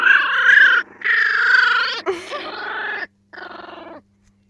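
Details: Four-week-old Jack Russell terrier puppies giving long, drawn-out harmonic whines and cries, each lasting up to a second, with short gaps between bursts and a final shorter whimper.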